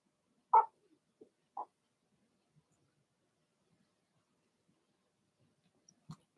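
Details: Blenheim Cavalier King Charles Spaniel puppies from a litter of six, barking in an indoor puppy pen: three short, sharp yips close together in the first two seconds, then near quiet with a faint knock at the end.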